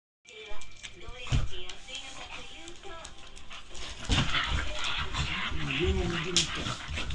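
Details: Two Shetland Sheepdog sisters play-fighting in a burst of energy before a nap: wavering whiny growls and whimpers among scuffling thumps, with human voices talking over them.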